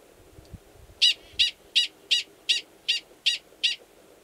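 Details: Male Gunnison's prairie dog mating call in March at Valles Caldera National Preserve, New Mexico, an estrous female waiting belowground nearby; eight evenly spaced, sharp, high barking chirps after a second of quiet, a soft low thump at the start.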